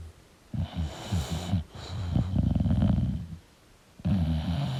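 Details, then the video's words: Sleeping English bulldog giving rattling, snorting low snores, one long fluttering breath in the middle followed by quiet, then another rough snore. "English Bulldog Sleeping & Snoring Sound"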